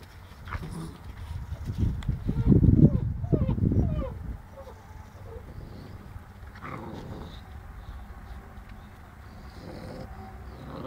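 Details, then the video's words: Seven-week-old Boerboel puppies playing with a cat, giving low, rough growling bursts clustered between two and four seconds, then quieter scattered snuffles and shuffling over a steady low background hum. "puppies 7 weeks playing with cat"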